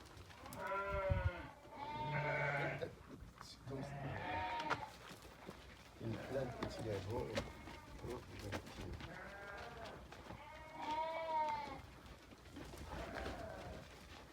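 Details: Eleven Damani ewes offered for sale give several wavering, quavering bleats of about a second each, some overlapping, with men talking between and over the calls.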